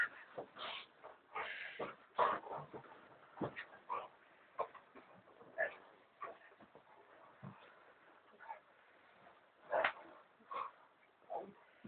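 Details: American Staffordshire Terrier reacting to its owners lying in bed, giving a run of short whining yelps and grumbling barks, irregular bursts with quiet gaps between them, indoors.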